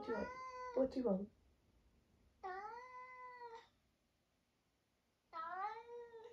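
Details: Three drawn-out meows at irregular intervals, each rising then holding steady, from a vocal 11-year-old tabby tomcat with semi-long hair in Britain; a woman speaks over the first call, then quiet gaps between the others.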